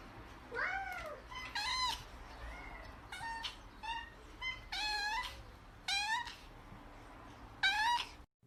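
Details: Indoor cat meowing repeatedly, about nine short, bright mews with rising-falling pitch, spaced roughly a second apart with brief pauses, in a quiet room.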